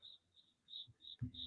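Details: A cricket chirping indoors in a house, picked up by a microphone during a live football broadcast; short high steady chirps repeated about every third of a second, with a man's voice breaking in near the end.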